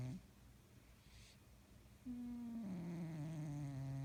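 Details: Sleeping cat, heard in a quiet room: two seconds of soft breathing, then a sudden steady, nasal, humming snore that dips a little in pitch and holds to the end.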